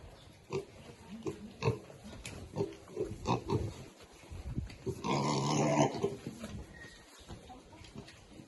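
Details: Piglets eating, described as happy, keep up uneven low grunts, broken by a harsh, noisy squeal lasting about a second before the grunting resumes more quietly.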